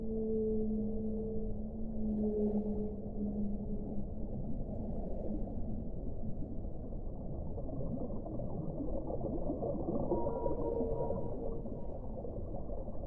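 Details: Whale song: a low, layered moan with bright overtones lasting about three seconds, then a faint higher wavering tone near the end, over continuous dull rumbling background noise.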